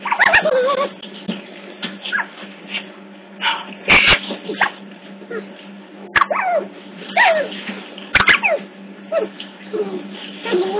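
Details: Otter pups at a zoo in Hertfordshire, caught on hidden CCTV cameras, give many high squeaky chirps and whines that rise and fall, overlapping in dense bursts, over a steady low electrical hum.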